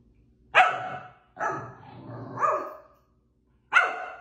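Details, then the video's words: Pomsky dog play-fighting, giving four sharp barks over about four seconds, the middle two drawn out into a rough, wavering growl-bark before a final short bark. "5 minutos de Sapphie peleando con todos"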